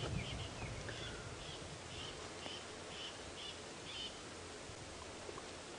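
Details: A squirrel gives brief, high chirps about twice a second, with faint rustling and a low rumble, on an 8 AM safari drive in Djuma Game Reserve on August 3, 2016, near hunting lions with cubs.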